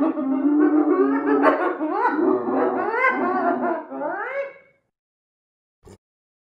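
A hyena gives a run of rapid, tonal, wavering cackles that rise and fall in pitch.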